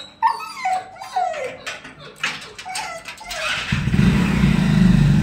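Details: Female Siberian Husky Billu greets her owners after being separated from them. She gives a run of quick, falling, yelping cries. A loud engine rumble swells in after a few seconds and drowns her out.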